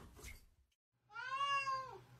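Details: Pet cat indoors after a brief pause lets out one drawn-out tonal meow that holds level and then bends downward at the end, following a person's voice.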